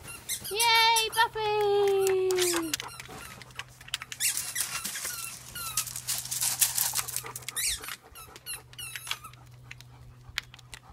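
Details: German Shepherd in a pack giving a loud, drawn-out tonal whine that holds level and then slides lower over about two seconds, followed by busier squeaky noises and human voices over a low steady hum.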